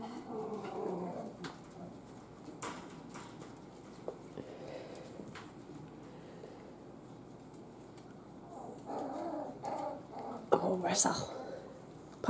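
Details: Miniature Schnauzer puppies play-wrestling on a mat indoors. Quiet rustling and scattered clicks lead to a cluster of low, harmonic grumbling growls and squeaks toward the end, with a sharp knock among them.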